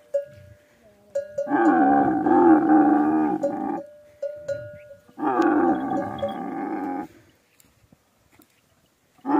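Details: Camels gathered for a camel meeting in the Thar desert let out two long, gurgling, rasping bellows of about two seconds each. The calls waver in pitch, and a steady ringing tone and brief grunts fill the gaps between them.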